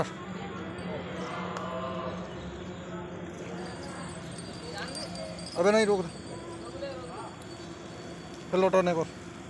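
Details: Totapari goat in a newly arrived lot at Rajabazar Narkeldanga, giving two loud, quavering bleats about three seconds apart late on, over steady background talk of men's voices.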